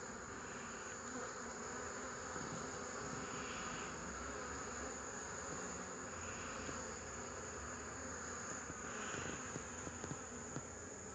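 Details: Honey bees recorded on 8 March 2015 give a dense, steady humming drone of many wings, even and continuous across the whole stretch, with slight swells in the higher tones now and then.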